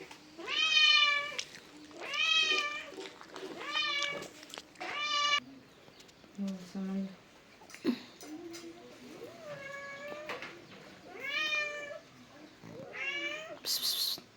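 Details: Domestic cat meowing repeatedly, a string of loud drawn-out harmonic meows with a falling tail, about one every one to two seconds, shorter softer meows later on, and a few human voices between calls.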